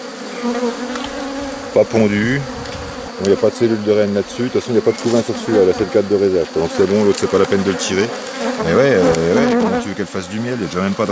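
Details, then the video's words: Honey bees at a drone-laying hive under rescue on 3 May 2021, where introduced queen cells were destroyed and a brood frame with nurse bees from a defensive neighbouring hive is added. A dense, droning hum swells and wavers among sharp knocks of hive handling. "Sauvetage ruche bourdonneuse"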